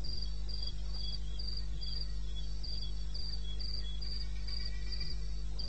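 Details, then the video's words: Cricket calling in the wilderness of eastern Botswana at 2:30 in the morning, recorded 21 May 2016: regular high-pitched chirps pulsing about four times a second, with a fainter second chirping line below, over a steady low hum. "1 Hour cricket sound-Africa-No loop-Real recording."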